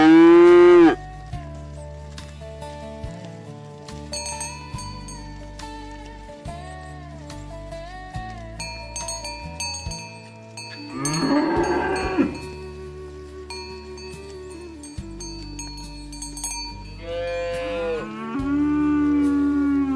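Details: Cow (Bos taurus), moo: calling herd mates to come home.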